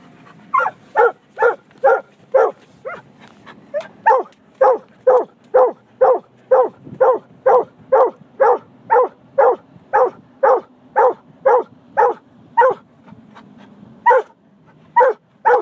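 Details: Caleb, a Treeing Walker Coonhound, barking in the car: a steady run of short, sharp barks at about two per second, each loud and clipped, continuing almost without pause over a low engine hum.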